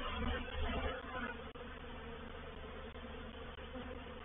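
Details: Reproductive swarm of honey bees moving into a bait hive at Painted Peacock Manor, 04/07/21; dense, continuous low droning hum with steady layered tones, louder in the first second, then even.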